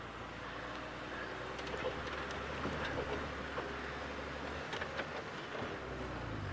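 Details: A running vehicle engine hums steadily under soft speech and a little wind, with no animal calls.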